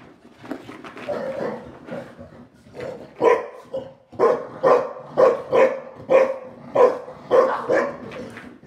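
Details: Playtime barking from two house dogs, a Shar Pei named Yum Yum and a Boston Terrier named Bunny, during their evening play session. Soft grumbling builds into a run of about nine punchy barks, roughly two per second, in a small room.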